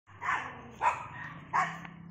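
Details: Poodle out on a morning walk, giving three short, sharp barks spaced about half a second apart, each a bright burst over a quiet background.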